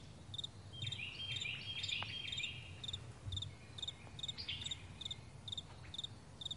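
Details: Meadow crickets at morning give crisp, high double chirps about twice each second, with a short bird trill early on and a soft low rumble in the background.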